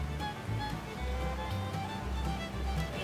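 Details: Sustained string music with a low droning bass plays throughout, with no animal voice present.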